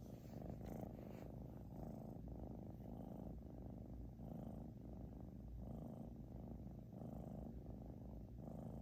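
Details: Loud snoring from a British Shorthair cat called Xiaoguai: low buzzing rumble, pulsing with each inhale and exhale about every 0.6 seconds, unbroken over nearly nine seconds of otherwise silent background.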